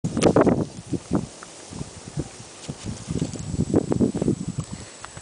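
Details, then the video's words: Ninio, a 10-year-old white purebred Pekingese, growls while eating a bone and guarding it from being disturbed. The low rumbling bursts come in quick uneven pulses, with a few rustling noises in between. "DON'T DISTURB ME WHEN I EAT! (White pekingese)"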